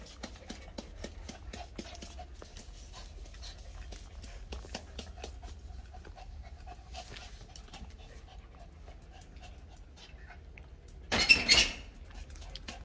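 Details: Two dogs, a big black one and a small Miniature Pinscher, indoors: quiet, rapid panting breaths repeat steadily for about eleven seconds, then a brief loud rustling burst near the end.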